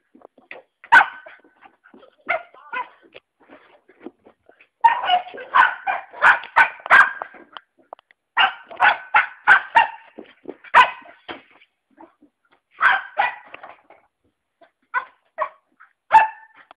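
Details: Young Cocker Spaniel Fudge, five months old, starts with scattered single yips, then breaks into fast strings of sharp barks, each run several barks long, with quiet gaps between bursts.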